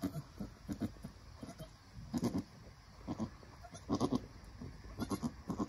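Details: Nigerian Dwarf goats at a birth, the mother encouraging her newborn doeling kid: quiet, throaty low grunting calls in short pulsed bursts, repeated irregularly, with soft background noise.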